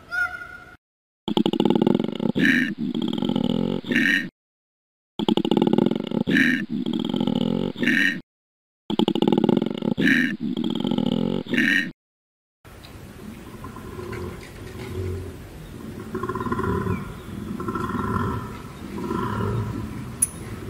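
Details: Koala bellowing: three long, throbbing, snore-like phrases of deep pulsed grunting, each broken by clean silent pauses. A brief tonal wail opens the sequence, and a quieter, muffled stretch of rumbling and soft moaning notes closes it.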